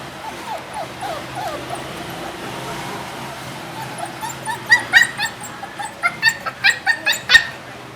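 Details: Caged puppy, one of two sisters named Annie and Chichay, where Annie hates the cage; soft low whines at first, then a quick run of sharp high yips near the end.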